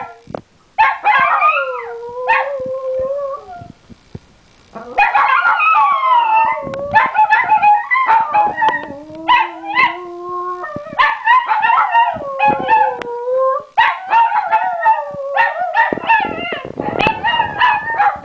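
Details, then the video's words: Two pet Italian Greyhounds indoors, barking at something out the window, then setting each other off into howling: long wavering tonal howls gliding down and rising, overlapping between the two dogs, broken by short sharp barks throughout. "Italian Greyhounds Howling!"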